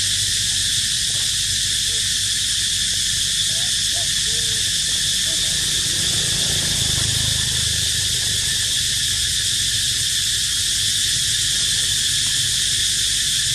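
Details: Cicadas sing a steady, shrill, unbroken buzz that fills the high range throughout, in an archaeological park where monkeys live.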